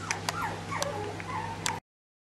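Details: Bichon Frisé puppies of the O and P litters at Vejles Lille Kennel give thin, high whimpers that slide up and down in pitch, mixed with a few sharp clicks over a low steady hum for under two seconds.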